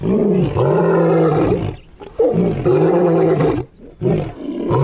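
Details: Lion roar sequence: deep, resonant grunting roars, each held about a second, coming in a steady series with short breathy gaps between them.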